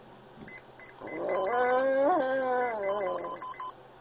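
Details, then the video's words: Pet Boston Terrier Oscar, an epileptic pup, gives a single sustained howl prompted by a beeping Swatch. The tone climbs gently, wavers near its peak, then eases down, with rhythmic electronic beeps before and after. "Making Oscar howl"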